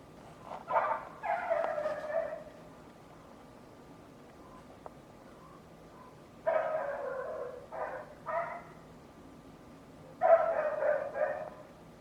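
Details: A neighbour's dog gives a loud run of quick, harsh barks, then pauses, then two more rapid volleys, each burst lasting about one to two seconds over a steady low hum.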